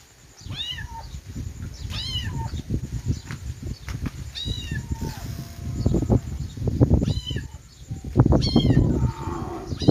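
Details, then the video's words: Kittens giving high, short falling mews several times, partly covered by loud low thumping and rustling noise in the second half. "cute kitten sound|kittens meowing"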